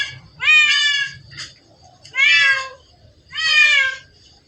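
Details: Cat in a secret spot crowded with cats, giving three long, drawn-out meows about a second and a half apart, each bending slightly downward, over a quiet low background hum.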